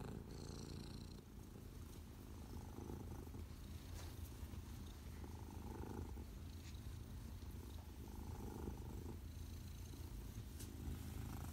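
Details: Domestic Shorthair cat available for adoption, purring steadily as a continuous low, rumbling vibration throughout, with faint soft knocks and a brief higher tone, indoors and otherwise quiet.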